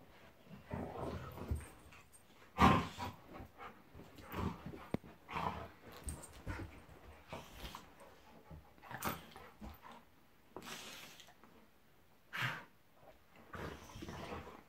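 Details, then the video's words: Golden Retriever Monty roughhousing with Labrador Eric, a pair of pet dogs play fighting: scattered growls and snarly bursts, one loud burst early, with thumps and scuffling noises throughout. "Monty the Golden Retriever vs Eric the Labrador"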